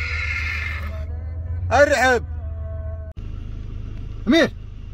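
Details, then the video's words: Arabian horse neighing in two short bursts, a wavering, harmonic whinny and then a brief rising-falling cry, over a steady low rumble and faint background tones. "صهيل الحصان العربي"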